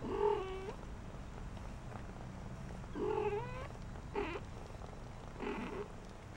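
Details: Four-week-old shaded golden Persian kittens, a litter of girls playing in their corral, give four thin meows spaced over several seconds, the first two held then flicking upward at the end, the last two short and softer.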